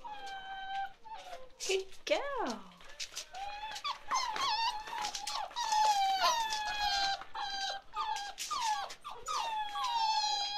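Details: Ruby's chocolate Labrador Retriever puppies, 47 days old; a chorus of steady high whimpers and short whines repeated throughout, with one low swooping yelp early on and some human voice in the background.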